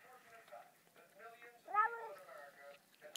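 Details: Cat meowing while a person repeatedly urges it to say hello; the cat's arching, two-part meow rises above the surrounding human speech before the talking resumes.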